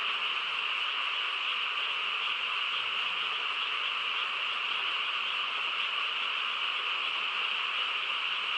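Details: Frogs chorusing on a quiet countryside night, a dense unbroken wall of overlapping trilled calls holding steady in two high bands throughout, with no other distinct sounds.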